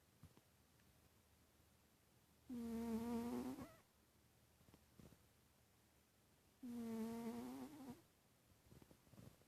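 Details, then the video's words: Titus the pet cat, sleeping, gives two whistling snores about four seconds apart, each a steady buzzy tone lasting just over a second that wavers slightly at its end, with a quiet room between. "Titus snoring"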